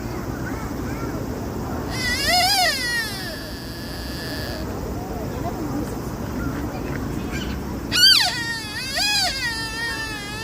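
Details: A deer in Nara gives high, squealing calls that arch up and down in pitch, heard twice.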